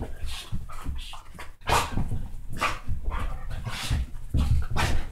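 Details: Pet dogs, a basset hound and dachshund mix, playing rough. They give continuous low, rumbling growls broken by short snarling bursts and yaps, with scuffling noises throughout.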